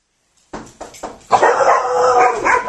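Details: A domestic dog barking at the door as the doorbell rings and guests come over: three sharp, separate barks, then a louder, dense burst of continuous barking that fills the rest of the moment.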